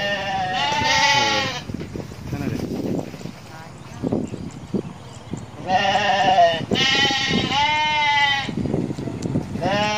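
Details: Goats playing with a young shepherd child in Indonesia; loud, wavering, harmonic bleats in two long bouts, with one brief bleat starting at the end, plus people talking between the cries.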